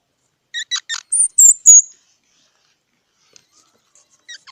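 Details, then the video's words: High squeaky calls from a squirrel: about six rapid chips, the last ones drawn out and whistled, followed by near silence and a couple of faint notes at the end. "សំលេងដង្ហែន Squirrel 🐿️ Sound"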